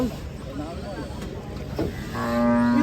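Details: Giant cattle arriving by truck in Indonesia; a steady low harmonic moo begins near the end after a stretch of background chatter and vehicle noise.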